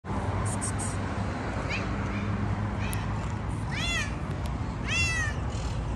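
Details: Very talkative tabby yard cat in a city seeming to want to tell something, giving a few short meows followed by two louder rising-falling meows over a steady low rumble of outdoor noise.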